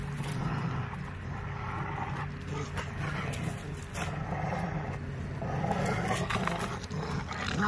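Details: Two Rottweilers growl while playing tug with a tire, a deep continuous rumble that swells and fades over several seconds.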